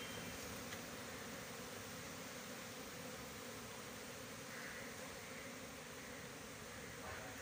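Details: A steady, low droning hum of many honey bees at a bee farm on 20 January 2021, unbroken throughout.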